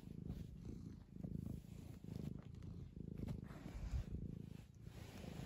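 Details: Thorn, a two-year-old male tabby cat, purrs while his owner fusses him: a continuous low rumbling purr pulsing with each breath in and out, with soft rustling throughout.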